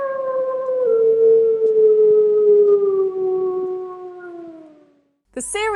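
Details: A gray wolf gives a long, smooth lonesome howl, slowly falling in pitch, followed by a second howl; a lonesome howl is used by a wolf separated from its pack to locate it.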